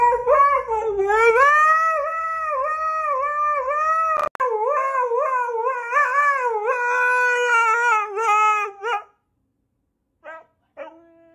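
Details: Husky howl-singing: drawn-out, undulating tones that bend up and down continuously for about nine seconds, then near silence with two brief faint sounds at the end.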